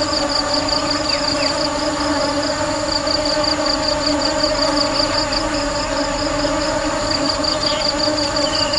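Honey bees fill the air with a steady, droning hum, rich in overtones and unbroken throughout.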